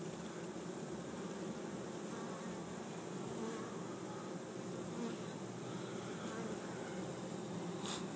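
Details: Steady, thick humming from a grounded honey bee swarm of drones and females, 6,000–8,000 bees, being coaxed into an empty hive in a Chico, California yard in 2013; faint ticks throughout.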